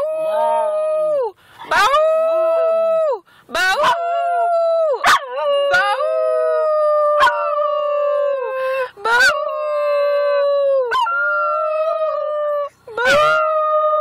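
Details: Male schnauzer at home howling along with his owner at the moon, long sustained tonal howls held several seconds each, steady then dipping at the ends, separated by brief breaks, with a human voice howling in unison.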